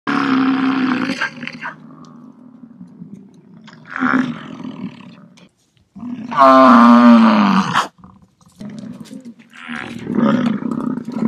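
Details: American bison giving deep, rough roaring bellows in separate bursts of one to two seconds, with a longer, louder, strained call in the middle that sweeps downward at its end.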